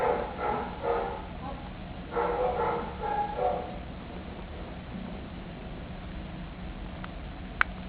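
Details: Kitten seeking attention, a burst of quick, high mews in the first few seconds, then near quiet with soft low background sounds and a brief click at the end.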